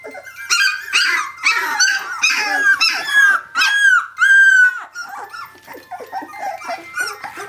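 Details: 17-day-old puppies from Brenda's Phantom of Scotland litter crying out for their mother; a chorus of shrill yelping whines, some rising then falling, one long clear whine near the middle, softer squeaks toward the end.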